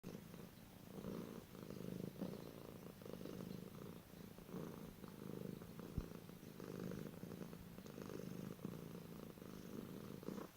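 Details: Domestic cat purring in a compilation of funny cat sounds: a steady low rumble pulsing in soft rhythmic waves, each breath cycle about a second long, with faint room hiss.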